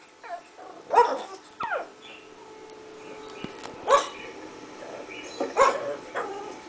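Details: Young pug, five months old, reacting to other dogs' barking: a few loud separate barks about every two to three seconds, with a whine-like sliding call between, over a low constant hum.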